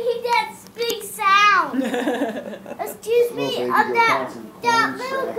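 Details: Baby goat yelling: a series of loud, wavering, nasal bleats. One long cry slides downward in pitch, and the others come in quick bursts with short pauses between them.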